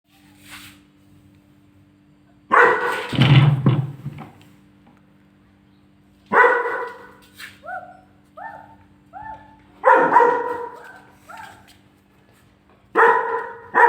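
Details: German Shepherd puppy angrily barks at its own photo on the fridge: four loud, harsh barks spaced a few seconds apart, with short rising whiny yelps in between and a steady low hum underneath.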